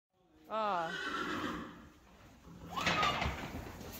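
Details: Friesian horses, the youngest of five playing together in an arena, give a loud descending whinny with wavering harmonics, followed by a second rising call after a quieter stretch.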